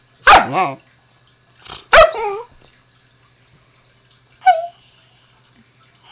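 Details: Husky puppy Zoey talks to her owner with two sharp harmonic yowls about one and a half seconds apart, a quieter grunt between, then a long high whistling whine near the end.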